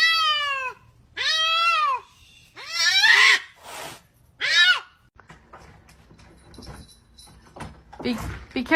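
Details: Domestic cat meowing repeatedly, three or four arched, harmonic-rich cries in quick succession, followed by people speaking and shuffling noises in a small indoor room.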